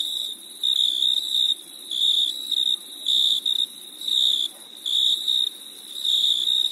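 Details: High-pitched cricket chirps on a summer night, trilled bursts under a second long coming about once a second, a clear ringing tone against near-silence.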